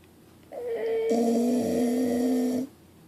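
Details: Sleeping pit bull snoring: a single long, steady, droning tone lasting about two seconds, fairly loud, with a buzzy nasal quality and a brief higher lead-in before the main snore.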